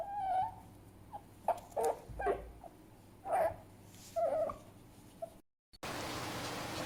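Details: Fennec fox uttering short, nasal, whimpering squeaks spaced irregularly, with faint clicks between them, ending in a cut to steady hiss.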